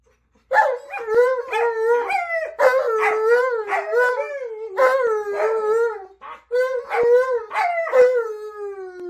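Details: Alaskan Malamutes, a Siberian Husky and a Malamute puppy howl together; a Malamute gives talkative, yodel-like howls that bend up and down, break into choppy woo-woo syllables, then settle into a longer, falling wail.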